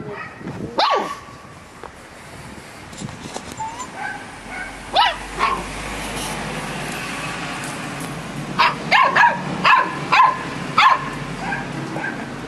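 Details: Samoyed puppy chatting with a Labrador: scattered short yips and whiny rising-falling vocal squeaks, a cluster of rapid high yelps toward the end, over steady background hiss.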